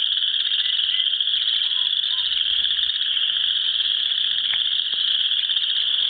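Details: Spring evening frog chorus at a South Dakota pond where geese swim, a steady shrill trill from many callers filling the air, with a few faint short chirps scattered on top.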